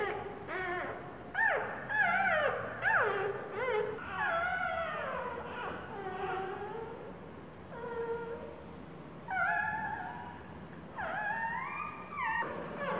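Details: Newborn pup, second day of life, crying while its mother sits on it indoors. Irregular run of whining yelps, some steeply falling and others held and wavering, with faint room noise beneath.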